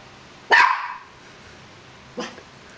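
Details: Puppy named Leo barking at his own reflection in a mirror: one sharp loud bark, then a second shorter, quieter bark under two seconds later, in a quiet room.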